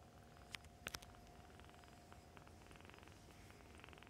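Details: Kittens nursing beside their mother cat in foster care for the Humane Society of North Texas; soft rhythmic purring under a few sharp clicks early on, then pulsing breathy rasps from suckling.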